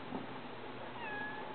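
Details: A Maine Coon cat, excited at seeing birds in a driveway outside a cellar window, gives a small, soft, thin meow near the end, with quiet human talk before.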